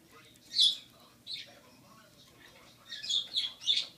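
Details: Rocky, a rescued baby squirrel aged six weeks, tackling a carrot for the first time; one loud shrill squeak, a quieter one, a pause, then three quick high squeaks close together.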